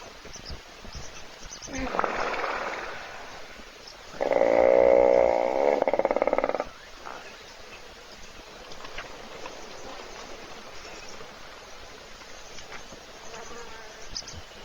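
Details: Sleeping hippopotamus snoring in a puddle at a South African waterhole near Kruger National Park, thirsty animals waiting for it to wake; two rough, throbbing snore bursts of one to two seconds, then quiet outdoor ambience.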